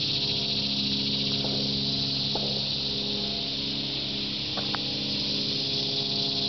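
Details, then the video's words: Cicadas in trees across Shawangunk Grasslands National Wildlife Refuge at midday, 16 August 2009, making their yearly ruckus: an unbroken high buzzing hum, with a few brief clicks and a soft low hum underneath. "Cicadas at Shawangunk Grasslands NWR"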